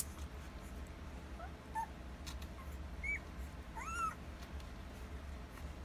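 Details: One-week-old Alaskan Malamute puppies from a Rhema x Cole litter, nursing, recorded September 25, 2020: a few soft squeaks, then a sharp rising-and-falling whine and a louder arching squeal, over a steady low background hum.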